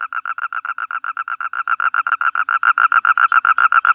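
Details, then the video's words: Toad giving a loud, continuous pulsed trill. The notes are short, evenly spaced and buzzy, about seven per second, held at one pitch throughout, with no other sounds. "Toad cry"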